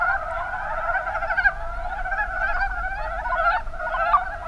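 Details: Mountain brown frogs in Kumamoto's Kuma Basin, Japan, give many overlapping chuckling croaks, short rattled clucks piling into a steady chorus over a faint low hum.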